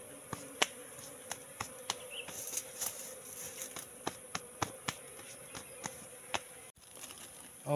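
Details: Wild Asian honey bee colony going into a trap box left out for three months; an even buzzing drone runs throughout, broken by regular sharp clicks roughly every third of a second.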